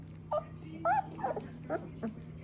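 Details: Seventeen-day-old Shepsky puppies from a litter of ten, now starting to hear themselves, give short, high whimpers and squeaky yips in quick, uneven bursts.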